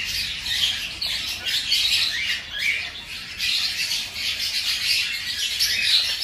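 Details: A litter of five-day-old hamster babies squeaking while feeding, a shrill overlapping chatter of tiny high chirps that swells and fades in short pulses, indoors.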